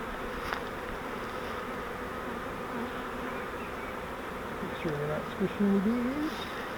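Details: Swarm of honeybees taken from a fiber swarm trap for transfer to a Langstroth hive, giving an even, continuous droning hum; men's voices rise over the buzzing near the end.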